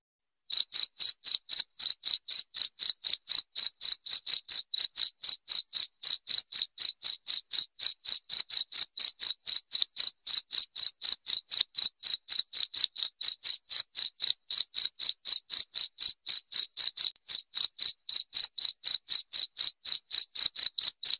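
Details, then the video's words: Persistent cricket chirping intended to chase rats away: a long run of bright, high-pitched pulses at about four per second, starting after a brief silent moment and continuing without pause. "SUARA JANGKRIK PENGUSIR TIKUS"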